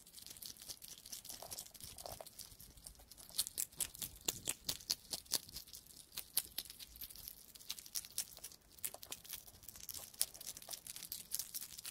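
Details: Irregular crunching, crinkling and tearing noises, with no animal calls.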